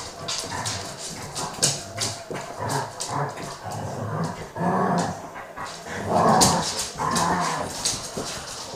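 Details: German Shepherd and Jack Russell puppy tussling over a cushion indoors; short rough growls and whimpering yelps come in rapid, uneven bursts about every half second, with scuffling noises between them.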